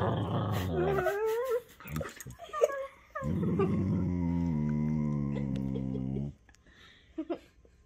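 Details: Two whippets playing a game of chewing on each other at home, one giving a long, even, droning growl-like moan lasting about three seconds after shorter whiny, wavering vocal bursts, with quiet room sounds between.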